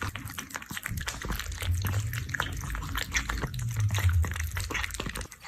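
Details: An orange cat eats canned food, with quick moist chewing clicks over a low, steady rumbling hum that swells twice during the eating.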